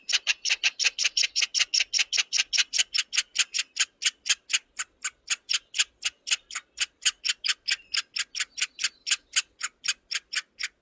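A squirrel gives a long run of sharp, clicking chirps, about four each second.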